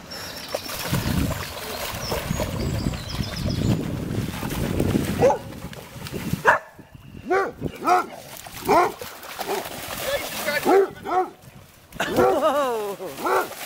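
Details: A basset hound and another dog at a dog park in Amsterdam, Holland: after a noisy stretch of rustling and low murmur, short arched barks and yelps come in quick bursts, several close together near the end.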